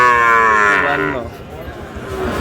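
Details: Sahiwal bull calf at a Dhaka farmer's purchase on 16 March: a loud, harmonic-rich moo that slides gently downward for about a second, then fades into Bengali conversation and crowd murmur.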